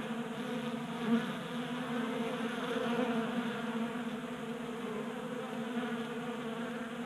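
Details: Winter-active honey bees feeding from a 3D printed feeder on a workbench in Colorado, January; thick continuous buzzing hum of many wings, with a brief louder pass near one second.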